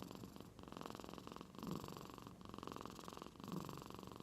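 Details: House cat dozing deeply in Aichi Prefecture, Japan, its snore compared to an old man's and at first taken for purring; a continuous gravelly hum throbs with breaths roughly every two seconds.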